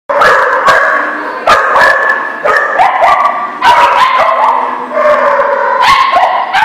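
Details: Several dogs bark together at The Barking Lot, a chorus of sharp overlapping barks coming in quick bursts, with some higher yips mixed in and a steady background din of more barking.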